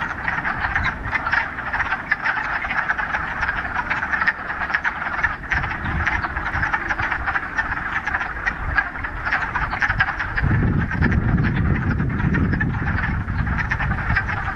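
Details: Frogs in a mountain pond in the Ramapo Mountains, middle of March, on the first warm day of spring after a week of rain; a dense, continuous chorus of rapid clucking croaks, with low rumbling noise swelling in the last four seconds.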